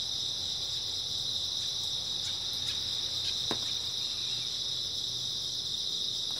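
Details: Many grass insects calling through an early autumn night, an even high-pitched trill that never stops, broken only by a few faint ticks and taps, over a low background hum.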